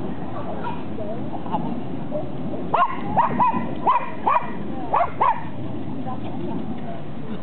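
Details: A Basset Hound in Ibirapuera Park in September 2009 gives a quick run of short, arched yelping barks over a low outdoor rumble.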